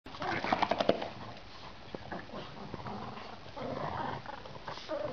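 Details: A Boston Terrier and a Brussels Griffon at play give a quick run of sharp yips and grumbling growls, then softer scuffling noises.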